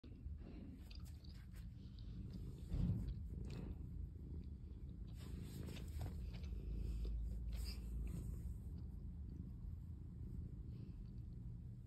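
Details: Calico cat purring in a basket while kneading, making biscuits; steady low rumble throughout, overlaid with soft scratchy clicks and rustling from paws working the basket, indoors in a quiet room.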